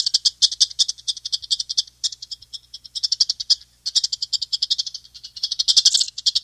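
A chipmunk calls with a fast run of high, dry chips, about six or seven to the second. The notes come in bursts separated by brief pauses, sounding almost like a small rattle.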